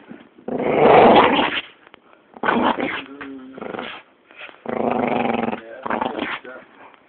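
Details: An angry, playful Staffordshire Bull Terrier growls in rough, rumbling bursts, with a few higher whining tones between them.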